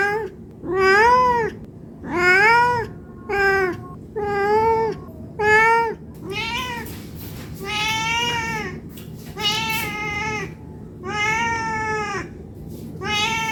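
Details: Hungry domestic cat begging for food, a long sequence of about a dozen meows; early calls short and arched, later ones longer and flatter, coming every second or so against low background hum.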